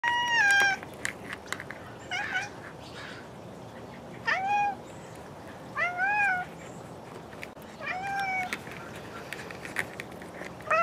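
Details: Bengal cats playing with toy mice indoors give repeated short meows, each a clear harmonic call with a falling or arching tone, roughly every one and a half to two seconds, with light clicks and rustling between.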